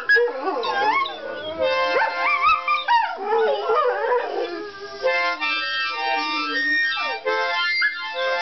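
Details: Four greyhounds howl along with a harmonica, whose steady held notes sound clearly beneath and between the dogs' wobbling, sliding howls and occasional whimpers.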